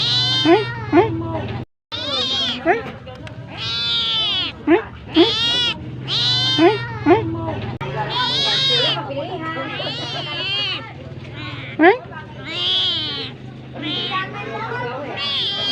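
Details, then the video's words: Cat begging for food: a steady stream of insistent meows, some long and wavering, others short and sharp. The calls overlap almost continuously for the whole stretch, over quiet background music. "Suara Kucing Minta Makan"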